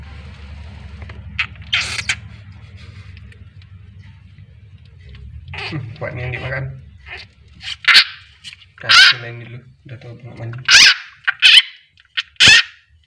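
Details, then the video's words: Frog screaming while being eaten by a king rat snake (Ptyas carinata) at feeding time. Harsh, broadband shrieks, some with layered harmonic tones, burst out irregularly through the second half over a low steady hum. "Beginilah suara katak kalo teriak"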